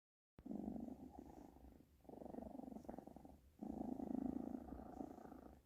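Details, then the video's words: British Shorthair kitten purring steadily in low, rumbling pulses, in three long bursts separated by short pauses as it breathes in and out; quiet indoor setting. "always purring"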